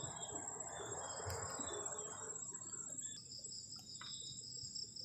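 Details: Night crickets at a forest-edge camp on a cold evening, steady high ringing trill holding throughout, with a broad hiss like rain in the first half fading out and a few sharp clicks.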